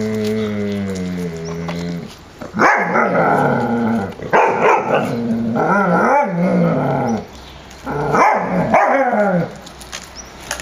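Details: Puppies of the Zwinger vom Elbsandstein kennel playing in the yard on 30 January 2013 at 14 °C; a drawn-out harmonic whine opens, then three bursts of rough, growly yapping and squealing barks with short quiet gaps.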